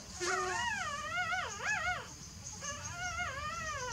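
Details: Sleeping newborn puppies whimper: a drawn-out, wavering high whine of about two seconds that bends up and down, a brief pause, then a second quavering whine over a faint steady hiss.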